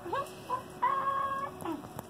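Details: Captive Arctic foxes at the Columbus Zoo & Aquarium, Ohio, giving short, high squeaky calls: a quick rising squeak, a brief chirp, then a longer level squeal of about half a second, ending with a falling note.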